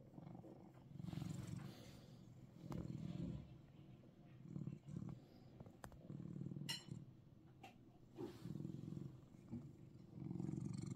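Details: Purring Russian Blue cat, Seoul, Korea; deep rumbling pulses rise and fall in waves roughly every second, broken by a few sharp clicks and light rustling nearby.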